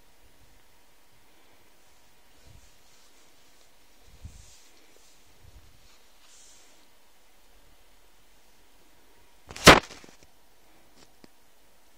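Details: Near-silent room with a few soft low thumps and one loud sharp click near the tenth second, and no animal voice.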